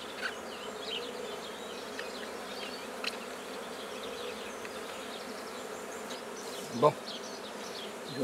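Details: Black bees at the start of a new hive at Guernay, Côtes-du-Nord: a dense, steady buzzing hum from many bees throughout, with a brief knock near the end and faint handling sounds.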